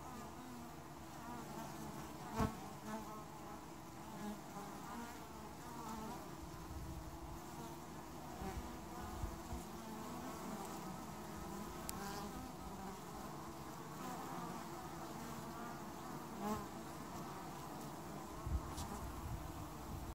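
A dense, steady hum of many honey bees, a low droning buzz with layered harmonics.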